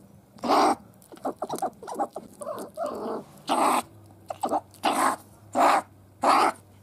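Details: Sable, Martes zibellina: loud, harsh, coughing barks, spaced irregularly about once a second, with softer chattering notes between them and a faint low hum beneath.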